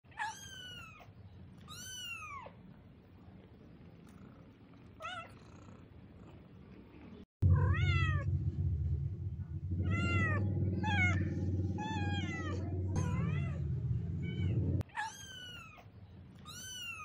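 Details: 26-day-old kittens walking outdoors with their mother, giving repeated high arched meows in quick bursts, several overlapping, with a loud low rumbling background noise in the middle.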